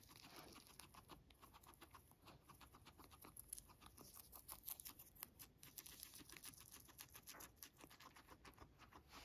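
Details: Pet guinea pig named Max eating freshly picked dandelions indoors: a steady stream of rapid, crisp crunching and nibbling clicks, soft tearing of leaves, with no voices or other animals.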